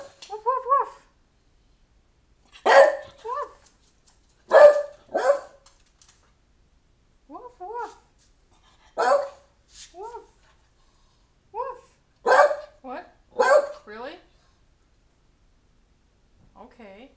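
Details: Excited house dog urging its owner to hurry and get ready for a library trip, jumping up and down: repeated short, harsh barks in pairs and singles, with a person's speech between bursts in a small room.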